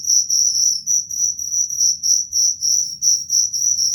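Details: Cricket producing a high, ringing chirp sequence, bursts of pulses about three to four per second, steady in volume, with a soft low hum behind.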